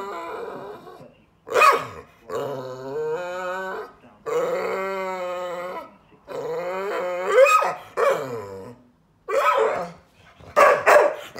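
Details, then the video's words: Frustrated adopted female dog, rescued after abuse, vocally objecting to being laughed at over her failed bed making; long wavering, harmonic moaning grumbles broken by short sharp yips, several drawn-out complaints in a row. "Adopted dog gets frustrated, tells me off for laughing at her bed making fail."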